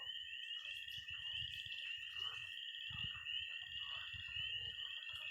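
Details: A pond chorus of frogs and toads on a Missouri night in early spring. Piercing peeps stream without pause over a constant trill, with fainter croaks and a repeated low thumping rumble beneath the whole stretch.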